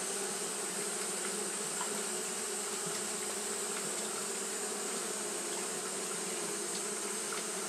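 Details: On a hot day, Japanese honey bees keep up fanning behaviour: a smooth unbroken buzzing drone of many wings, low tonal bands beneath a high airy hiss.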